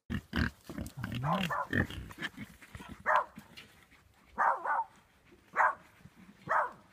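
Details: Wild boar in the Forest of Dean, giving a series of short, rough grunts and snorting bursts, several in quick succession early on, then spaced single grunts about once a second.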